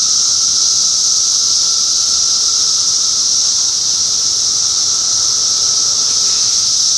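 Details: June 2013 cicada chorus in Middlesex County, New Jersey: a steady, piercing high hiss from countless insects at constant loudness, accompanied by a softer lower hum, with no breaks.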